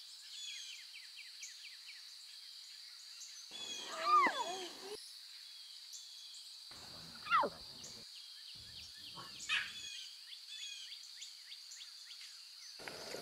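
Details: Wild lion cubs with their mothers in their natural environment, meowing: a wavering harmonic mew, then a sharp falling squeal and a fainter third cry, spaced a few seconds apart over constant high insect or bird chatter.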